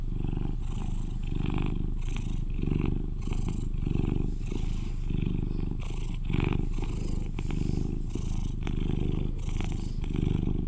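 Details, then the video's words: An 11-year-old British Shorthair cat, kept as a companion, purring loudly: a deep, steady rumbling purr pulsing in breaths roughly every second, with soft higher rustling noises from handling over the top. "Sweet Cat Purrs to Lull You to Sleep"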